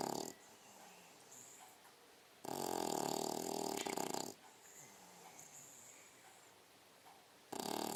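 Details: A 6-month-old female English Bulldog (Canis familiaris) snores while sleeping, with long, rasping, rattling breaths that swell loudly and then fall quiet.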